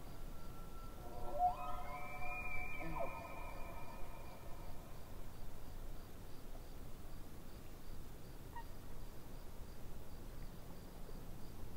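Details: Distant elk by a lake. Its long, harmonic call rises into a drawn-out whistle near the start, then trails off into a brief high note. A faint, steady pulsing insect trill and a low background rumble continue throughout.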